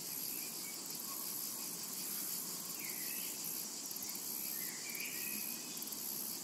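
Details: Summer meadow cicada chorus: an unbroken high buzzing sheen of sound, gently throbbing at the top, with a few quiet, rising bird twitters drifting through the middle.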